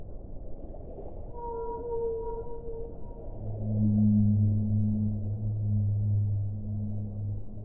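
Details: Whale vocalizing: a brief mid-pitched tonal moan, then a loud, deep, prolonged groan with a strong harmonic that swells and holds, all over a hushed underwater hiss.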